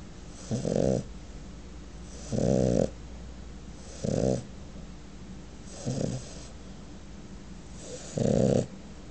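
A French Bulldog snores in loud, rattling bursts about every two seconds.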